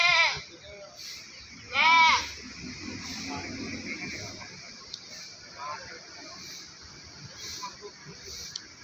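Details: Goats bleating at an animal market in Pakis, Malang, Indonesia: two wavering, nasal bleats near the start and about two seconds in, over steady crowd chatter and men talking about prices.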